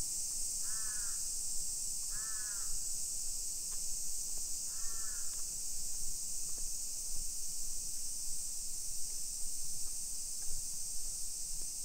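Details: Cicadas keep up an even, piercing summer hiss over a Nisshin hillside street near Nagoya, Japan, at 1 PM on 28 July 2021; three raspy crow caws come in the first five seconds, with soft ticks and low rumble throughout.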